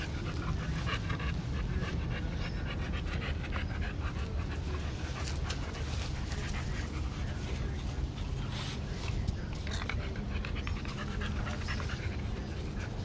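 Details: Olde Boston Bulldogge littermates, two brothers and a white sister, one year eight months old, at play in July 2012: fast, continuous breathy panting with quick rasping pulses over a constant low hum.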